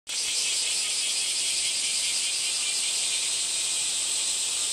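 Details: Cicada shrilling in one continuous, even, high buzzing drone that holds steady from start to finish with no pauses.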